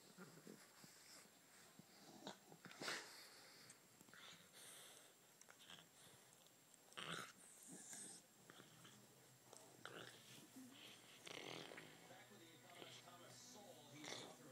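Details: Playful bulldog puppy with a Puggle in a small room, producing wheezy snorts and breathy huffs at irregular intervals, with louder bursts near the third and seventh seconds.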